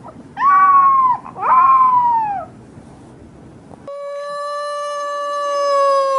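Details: Puppy howling, possibly one of its first howls: two short wavering howls that rise then sag, separated by a brief gap, followed by a long, very steady held note that swells slightly toward the end.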